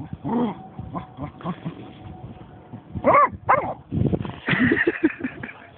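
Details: Snoop, a German Shorthaired Pointer that has found a dead seagull, lets out a few yelping barks amid rustling, handling noise and a steady low hum.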